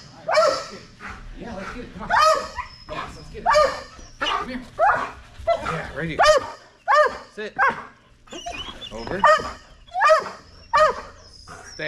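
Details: Belgian Malinois dog during Fetch-It (Air Retrieve) dock diving practice, with the bumper being raised progressively higher: a run of high, arching yelps and whines in quick irregular bursts, about one every second, with some human speech mixed in.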